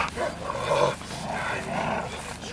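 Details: Airedale Terrier at its first protection training session, giving harsh, loud bark-like bursts in quick succession with human voices mixed in.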